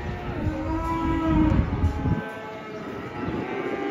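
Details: Low, rough bellowing moo from a raging banteng that broke loose while coming down off a truck, swelling for about two seconds then easing, over steady background music and shouted warnings.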